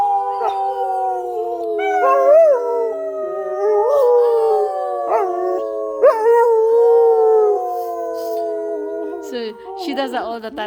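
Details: Young German Shepherd, nine months old, howling at home when the owner's husband pretends to be hurt; sustained tonal howls with brief rising yelps breaking in every couple of seconds, ending in noisy yips.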